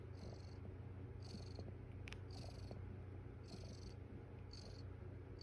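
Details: Foster mother cat with her kittens on the eighth morning, purring steadily: a continuous low rumbling drone throughout, with faint high insect-like chirps pulsing about once a second in the background and a brief click near the middle.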